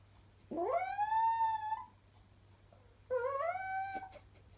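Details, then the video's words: Chihuahua singing to an ice cream van tune, giving two drawn-out howls that sweep upward and hold a steady tone, the second slightly lower and wavering, with a quiet pause between them. "Chihuahua sings to ice cream van tune"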